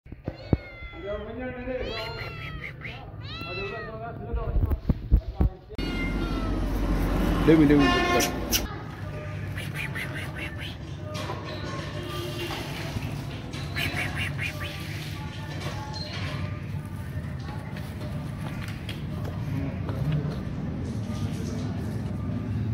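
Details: Domestic cat meowing while asking for food: several arched, harmonic meows in the first six seconds, then a short loud burst, followed by a long stretch of low rumbling background noise with faint voices.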